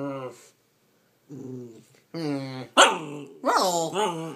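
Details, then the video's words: Bernese Mountain Dog puppy, nine weeks old, talking while being cuddled; drawn-out whining moans and grumbles with rich harmonics, rising and falling, ending in a sharper yelp-like burst and two bending whines. "Bernese that has so much to talk about..."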